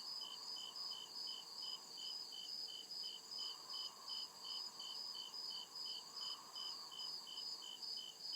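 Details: Crickets chirping at night in the deep woods of a forest: steady high-pitched pulsed trills repeating in a rapid, even rhythm, several callers layered, with a faint lower hum rising and falling beneath.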